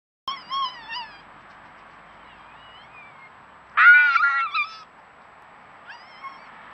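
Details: Two wild red foxes, regular night visitors at a trail camera, screaming while eating: harsh wavering high-pitched screams, a short burst at the start, a louder ragged scream near the middle and a thinner cry at the end, over quiet background.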